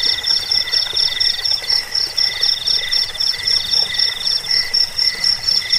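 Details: Several crickets, in a recording used against rats, for sleep and for bird training, chirp together in high, rapid pulsed bursts at stacked pitches, a dense and regular ringing with no other voices.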